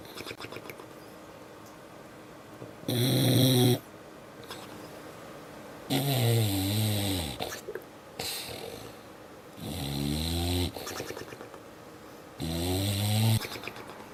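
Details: Sleeping dog snoring, a female who wakes herself up on the loudest snores: four rough, buzzing snorts of about a second each, spaced two to three seconds apart, with quiet breathing between them.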